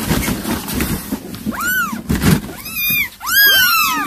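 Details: Cat calling its kittens, heard as a few high, curved meows, one rising then falling, followed by a pair of overlapping longer cries near the end, with soft rustle beneath.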